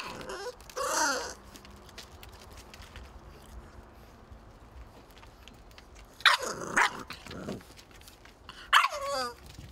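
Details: French and English Bulldog puppies: three short, harmonic-rich yelping barks, one near the start and two close together toward the end, with a quiet background between them.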